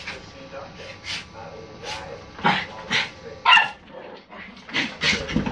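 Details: Poodles, three of them together, let out loud, abrupt barks and higher yips spaced about half a second to a second apart, with human speech audible between and beneath the outbursts.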